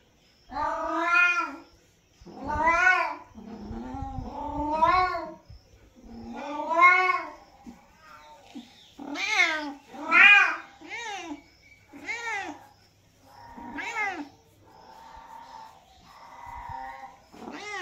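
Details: Domestic cat meowing repeatedly, a series of drawn-out harmonic meows rising then falling, about eight calls spaced one to two seconds apart, some short and clipped, indoors with little background noise.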